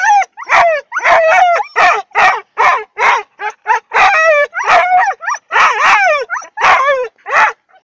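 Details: Siberian huskies that resemble wolves, singing before training: dense rapid series of short yipping howls with sliding harmonics, nearly continuous with tiny gaps, interspersed with sharp percussive bark-like bursts.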